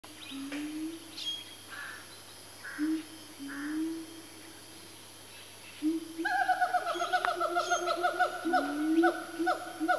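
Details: A family of four siamangs swinging about, building their calls toward a frenzy: low rising whoops early, then a rapid run of repeated stacked barking notes climbing in pace from about six seconds.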